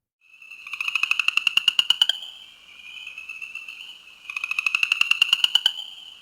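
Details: A New Jersey chorus frog (Pseudacris kalmi) calls with rapid, rising pulsed trills, each lasting about two seconds.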